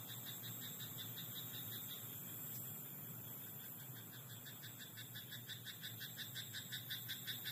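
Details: Frog in a rice paddy at night, its croaks faint at first, then a loud, regular train of short pulsed notes about three per second through the final seconds, with a constant low background hum.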